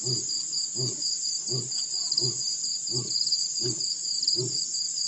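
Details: Male lion roaring at Pete's Pond, Mashatu Game Reserve, Botswana, December 4, 2016: seven low, evenly spaced grunts, one roughly every three quarters of a second, with crickets shrilling steadily throughout.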